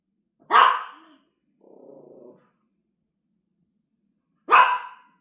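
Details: Pet dog so afraid of a massager that it will not eat treats, giving a loud, harsh bark, then a low rumbling growl, a pause of about two seconds, and a second forceful bark.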